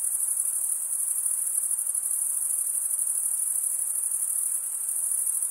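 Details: Crickets stridulating: a dense, steady, very high-pitched shimmering trill with a fast pulsing texture that never pauses, and no other sounds.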